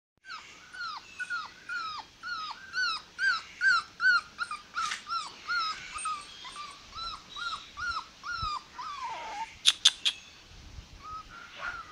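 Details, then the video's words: Male American Pit Bull Terrier puppy in Kerala, India, giving a steady run of high, short whimpering yelps, each bending downward, repeated more than twice a second, with a few sharp clicks near the end. "American Pitbull terrier puppy# male"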